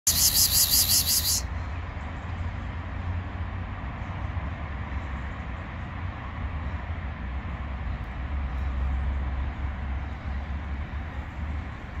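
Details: A steady low engine or traffic rumble fills the recording after a brief burst of high-pitched noise at the start, with no clear animal voice.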